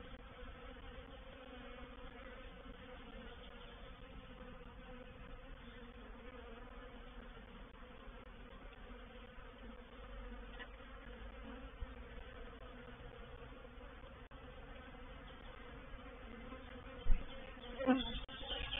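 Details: Reproductive swarm of honey bees moving into a bait hive (swarm trap) at Painted Peacock Manor on 04/07/21: a steady, dense droning hum with banded tones around 250 and 500, continuous throughout, with two sharp knocks near the end.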